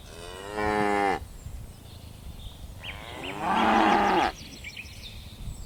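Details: Herd of tame cattle bounding down a mountain slope gives two moos, a short one followed by a longer, richer low bellow, with small birds chirping faintly between them.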